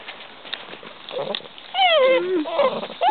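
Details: Basset Hound puppies, curious and interested in visitors, give high whines that slide downward, one drawn-out falling whine followed by a shorter one, with soft background noise.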